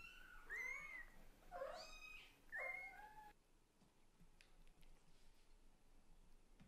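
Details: Scottish Fold and British Shorthair kitten talking to its mother cat, three meows in three seconds, the middle one lower and rougher, followed by quiet room noise with faint clicks.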